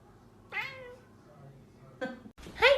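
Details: Pet cat in a funny animal compilation, meowing three times: a long bending wail, a shorter call, then a sharp rising cry, with quiet speech nearby.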